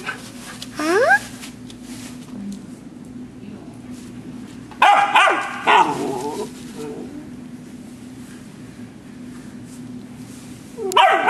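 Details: A Border Collie puppy awaiting adoption at the Atlanta Humane Society makes a rising whine early on, then a pair of sharp barks midway and another bark at the end, with a steady low hum throughout.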